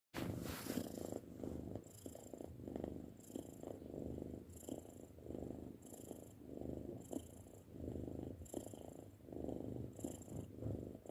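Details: Six-month-old pet cat purring, a steady low rumble that swells and fades in regular breathing cycles about every second, with no other sounds.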